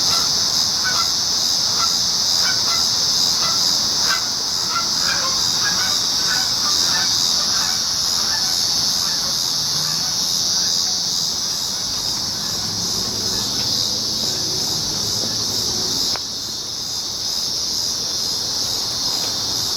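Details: Cicadas recorded on July 19, 2019, forming a dense, unbroken high buzzing drone. A series of short, honking calls from another animal repeats through the first half, and a lower rumble passes near the end.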